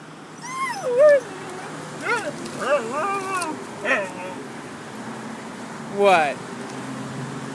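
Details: Spitz-Chow dog whining at a squirrel in a tree on a morning walk: a few high, bending whimpers with harmonics, gaps between them, and a woman's encouraging voice nearby.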